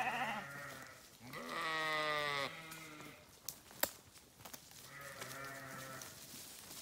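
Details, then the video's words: Sheep bleating loudly three times, a short cry, then a long strained, harmonic-rich bleat, a pause with a few clicks, and a final drawn-out bleat. "Sheep Sounds"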